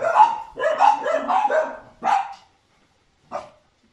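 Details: Cane Corso trained at ALFIPI, with its owner on their second day together, just after basic obedience training ends; a loud, rapid burst of barks lasting two seconds, then two single barks spaced apart, and silence.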